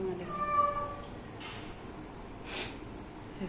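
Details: A cat playing with its owner gives one drawn-out, steady meow near the start, then falls quiet amid soft rustling and two brief bursts of broadband noise, with a person talking in Odia nearby.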